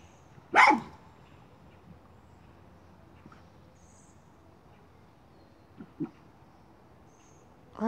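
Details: A miniature schnauzer chasing a chipmunk gives one loud, sharp bark, followed by a few faint soft sounds and another bark beginning at the end.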